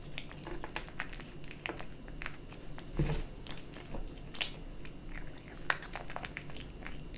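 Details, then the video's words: Kitten chewing dry and wet cat food: scattered crunchy bites and soft mouth clicks at an uneven pace, one louder thump near the middle, low hum throughout. "Kitten eating Dry & Wet cat food ASMR"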